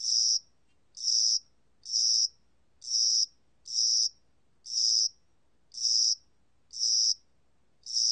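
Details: Spring and summer cricket song made of evenly spaced, shrill buzzy pulses, nine in about eight seconds, with near silence between them.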